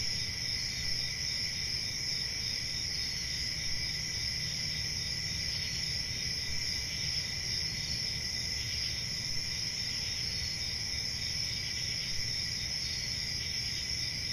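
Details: Unbroken cricket chorus: several high, shrill trilling layers run evenly from start to finish, over a quiet low rumble.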